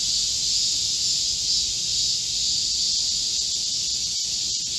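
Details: Korean cicadas, a forest chorus in midsummer heat on 25 July 2024: unbroken high buzzing drone, steady in loudness, with a few faint clicks near the end.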